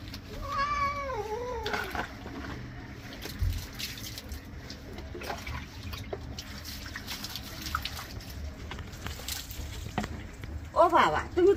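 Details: Domestic cat being given a bath: a drawn-out, wavering meow with stacked harmonics in the first two seconds, a shorter cry near the end, and splashing water and a woman speaking Bengali between.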